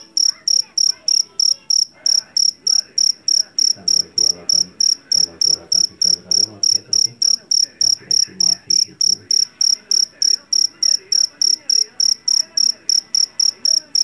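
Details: Field cricket, a jangkrik jeliteng or Javanese cricket caught in a rice field and known for its loud voice, gives bright, shrill, high pulsed chirps about three times a second, steady throughout, with faint low background murmur.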